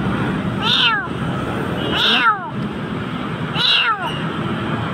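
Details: Nearly dying kitten in a dark Jakarta spot gives three falling, high-pitched meows spaced over a few seconds while low murmuring and hum fill the background.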